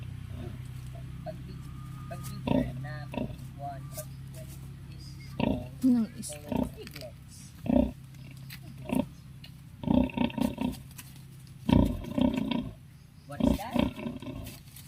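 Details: Native sow kept on a backyard farm with her 11 piglets; short grunting bursts come in clusters, denser in the second half, over frequent talking and a child's voice in the foreground.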